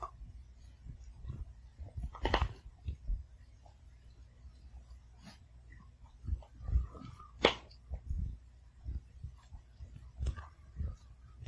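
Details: Sugar, a Pomeranian, eats slowly in a calm home, crunching each piece of food thoroughly. Soft clicks and crunches come in loose clusters, with a few sharper cracks and quiet pauses between them.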